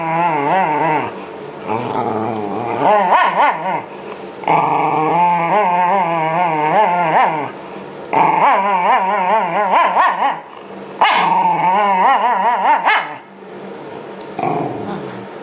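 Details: Shiba Inu called Yamato protests being brushed during its winter-coat shed, early spring 2012. Long stretches of loud, quavering growls rise and fall in wavy pitch, separated by brief pauses.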